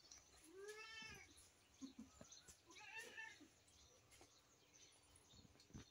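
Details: Domestic cat meowing indoors: two drawn-out, rising-then-falling meows about two seconds apart, the first clearer and longer, the second shorter, with faint clicks and light room noise between them.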